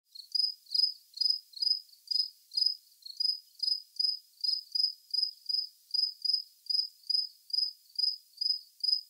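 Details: A cricket chirps in short, high, pulsed bursts, about two every second at a steady pace, with no other sounds.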